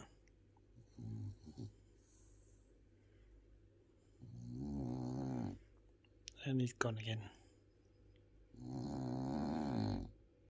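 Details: Bob, a French Bulldog, snores while napping indoors: rough, buzzy breaths in long bursts of a second or more, spaced a few seconds apart, with a man's voice heard briefly between them.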